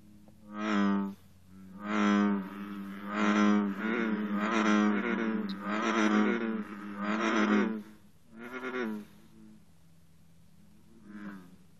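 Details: American bullfrogs in an intense morning chorus at 54 degrees, where green frogs also call. Deep droning croaks repeat about every second in a steady series of eight or nine, then the chorus fades into a quiet pause.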